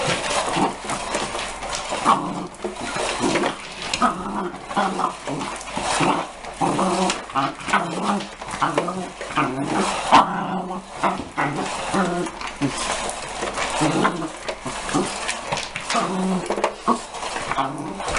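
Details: Young dog, 33 weeks and 6 days old, playing indoors with an unplugged work vacuum cleaner used to clean a car, growling and grumbling almost continuously in rough, low, pulsing bursts, with a person's voice now and then.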